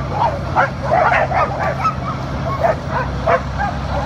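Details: A sled dog team running on a powered outdoor mill: a steady chorus of short, excited yips and barks, several every second, over a constant low mechanical hum from the running mill.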